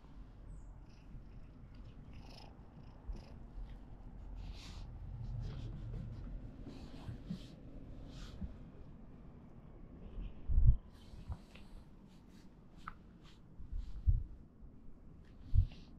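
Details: A kitten that wants to be stroked purrs steadily in a low, continuous rumble, with soft clicks and rustles above and a few sharp knocks near the end.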